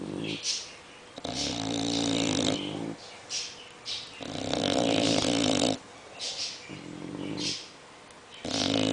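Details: An English bulldog snores in long, harsh, buzzy, rattling inhalations a second or two apart, while a French bulldog snores more lightly alongside, filling the gaps.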